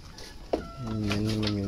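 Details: Goat on a wet-feeding diet of azolla gives one steady, nasal, harmonic bleat of about a second, held at an even pitch. A short sharp click comes before it, with faint voices in the background.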